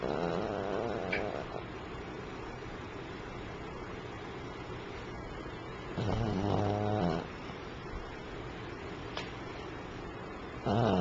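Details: Pomeranian asleep, snoring with a low rattling drone and a louder harsh snort around the middle, against steady background hiss.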